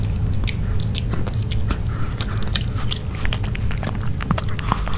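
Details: A dog eating grilled pork, with close, irregular biting and chewing, wet crunches and clicks repeating at an uneven pace over a low indoor rumble; no talking.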